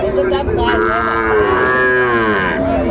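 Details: At a Faridpur cattle market in Bangladesh on 24 December 2024, a Sahiwal bull calf gives one sustained, strongly harmonic moo lasting almost two seconds, rising slightly then easing off, with busy crowd noise throughout.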